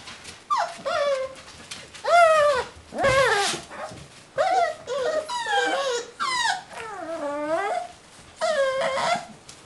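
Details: Beagle puppies, six weeks old, giving repeated high whimpering and whining calls, each a short rising-then-falling whine with rich harmonics, several overlapping in quick succession indoors.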